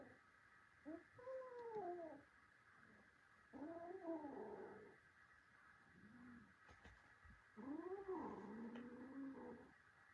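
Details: Kitten scuffling with its grown brother cats gives three long, harmonic, moaning yowls that rise then fall, each lasting about a second, separated by quiet pauses and a few faint bumps.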